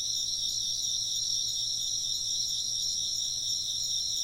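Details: Chirping insects in a steady, dense chorus: high, shimmering trills layered in several bands that hold without pause for the whole stretch, with a faint low hum underneath.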